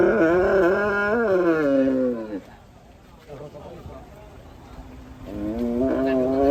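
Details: An enraged cow or bull gives a loud wavering moo lasting over two seconds, then falls quiet with faint background noise before another bellow begins.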